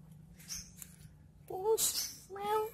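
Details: Cat playing with a stick gives two short meows, the first rising then falling in pitch, the second steadier and slightly longer, with soft rustling before them.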